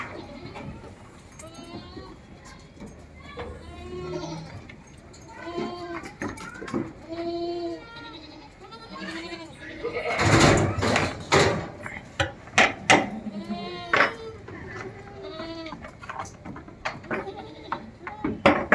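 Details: Saanen goats about four months old at a goat farm in Aurangabad, giving repeated wavering bleats with stacked harmonics, several overlapping; loud clattering knocks and bursts of noise in the second half, with human voices nearby.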